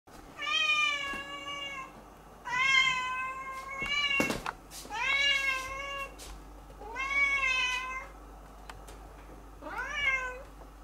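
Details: Two cats running around a garden in spring: a series of five clear, drawn-out meows, each bending upward then falling, spaced about two seconds apart, with a short knocking noise between the third and fourth.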